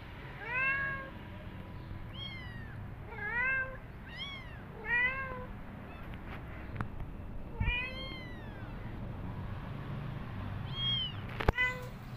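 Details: After two days away, a mother cat nursing her kittens; bursts of bright, bending meows, several given in quick pairs, separated by short pauses, with faint clicks and a low background rumble.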